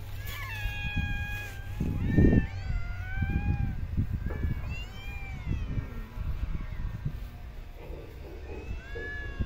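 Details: Stray cats being fed in parks and streets: a run of clear, drawn-out meows, several sliding downward, follow one another over a steady low outdoor rumble with occasional thumps.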